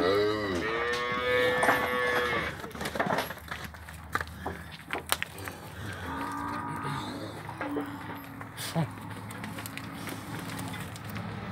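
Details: Cows with calves at a livestock auction in Araçatuba, São Paulo, Brazil, 10 August 2021; a drawn-out harmonic moo opens, then a lower, quieter moo follows amid auction music, applause and an auctioneer's voice.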